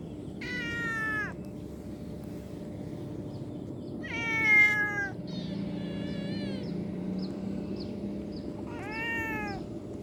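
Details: A cute kitten at play meows about four times across ten seconds: loud, high, slightly falling cries, one fainter and shorter in the middle, with a low hum throughout.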